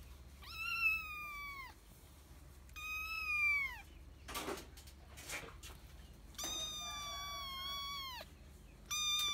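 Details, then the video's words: Tiny kitten giving big meows: four loud, drawn-out wavering cries, each falling at the end, with scuffing and handling noises between them in a quiet room. "Big meows from cute and tiny kitten"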